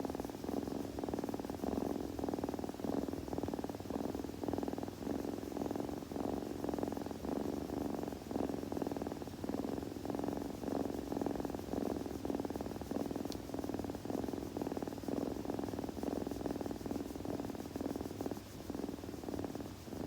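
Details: A kitten purrs continuously for twenty seconds, a low vibrating rumble pulsing in quick regular beats, with one faint click near the middle.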